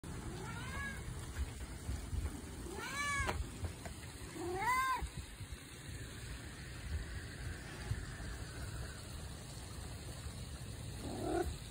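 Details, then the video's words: Domestic cat giving a few short, arched chirping meows, each rising then falling, spaced a couple of seconds apart. A soft rolling "mrrrrrp" trill closes the sequence over a low hum of room noise. "The “Mrrrrrp” at the end"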